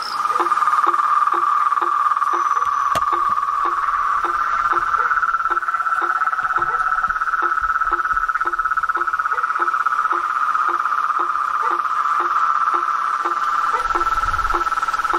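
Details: A nighttime-style chorus of toads, frogs and tree frogs in nature: a steady high trilling drone overlaid by short, low knocking notes repeated about every half second, plus a sharp click near three seconds.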